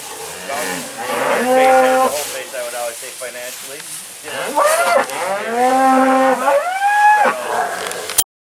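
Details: Several drawn-out moos from Black Angus cow-calf pairs at a Lanesboro, Minnesota auction barn, each bellow swelling and bending upward, overlapping with one another amid crowd noise and murmuring voices, ending abruptly.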